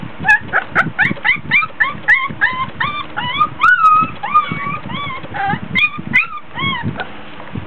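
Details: Fussy, tired three-week-old Border Collie puppies whining at play in a whelping box; clear hooked whimpers, some long drawn-out falling cries, repeated every fraction of a second over background shuffling.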